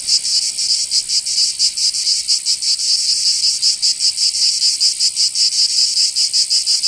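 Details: Cicadas singing in summer in Provence, southern France: a dense, loud, high buzzing drone with a rapid pulsing throb, several insects overlapping in a continuous chorus.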